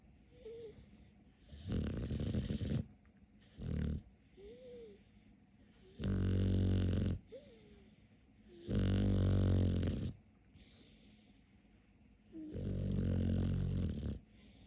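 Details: King of snoring Capler the dog snores steadily: a run of rough, low snores lasting one to one and a half seconds, with soft squeaky whistles from the nose in the gaps.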